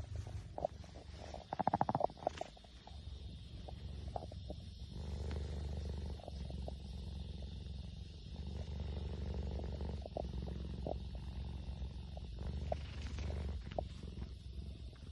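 A cheetah gives a continuous low purr, a throaty rumble that rises and falls gently with its breathing. A few brief clicks and handling sounds break in near the start.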